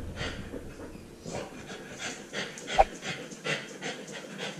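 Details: Husky puppy left home alone wearing a body-mounted camera, panting in quick soft breathy huffs with a few louder puffs, close to the microphone, plus faint rustling.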